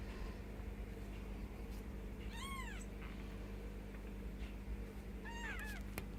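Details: Bengal kittens ten days old, with their mother, giving short high arched mews: one near 2.5 seconds and a quick cluster of two or three overlapping cries near the end, over steady low hum.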